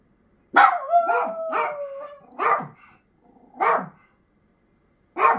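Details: Choco, a 13-year-old Miniature Dachshund with a brain tumour under palliative care, howls from anxiety and loneliness; sharp yelping barks open into a long steady mid-pitched wail with a faint upper harmonic, followed by three further short bark-yelps.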